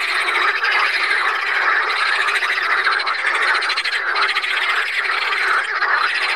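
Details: Pelophylax water frogs recorded at Saint Orens de Gameville, many calling at once. Their harsh, quickly pulsed croaks overlap into a steady rattling din that swells slightly now and then.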